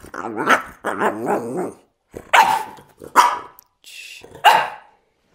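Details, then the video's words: French Bulldog 'talking': a person speaks softly at first, then three short, harsh, grumbling bark-like bursts follow about a second apart, each rough and mid-pitched with a quick fade. "Funny Talking french bulldog"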